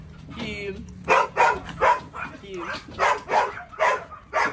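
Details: Belgian Malinois named Psycho barking in short broadband bursts, about eight barks spaced roughly every half second after a quiet start, with a handler's voice faintly in the background.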